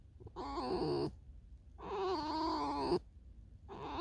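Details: Pet fox in falling snow on a field during morning chatter, making three wavering, nasal whining calls about a second long each, separated by short pauses.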